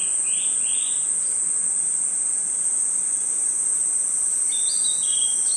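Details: A forest at night with crickets sustaining a high, even trill. Two short buzzy notes come early, and a few flat chirps from another caller come near the end.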